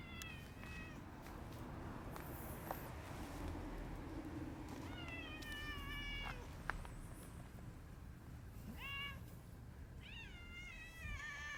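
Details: Rival park cat families clash: an old cat family versus the red tabby brothers. Repeated harmonic meows, drawn-out and wavering near five seconds, then short bursts near nine and ten seconds, over constant outdoor background hiss.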